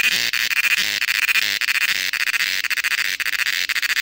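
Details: Cicadas in the Western Ghats of Karnataka, India, producing a dense, high-pitched continuous buzz broken by rapid flickering pulses, steady and loud throughout.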